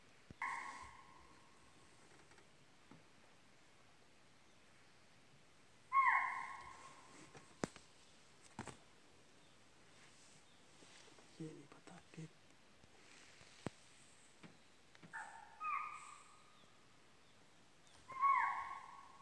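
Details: A deer in Pilibhit Tiger Reserve jungle gives short, clear, slightly falling calls, repeated every few seconds against a quiet background.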